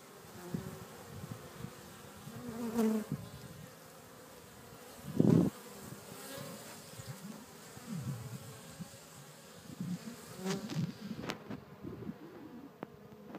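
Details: Bees humming with uneven swells, as individual louder buzzes rise and fade every few seconds over a low background drone.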